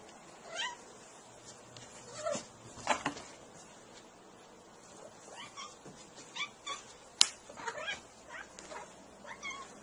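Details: Domestic cats reacting to bananas, from a compilation: a string of short, fairly quiet meows and yowls, some rising then falling, spread unevenly over ten seconds, with a sharp click partway through and a soft background hiss.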